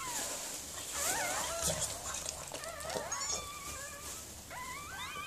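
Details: Whimpering during the birth of puppies by Mirella, a Miniature Pinscher: rapid, sliding high whines, some rising and some falling, crowding one after another, with soft background hiss.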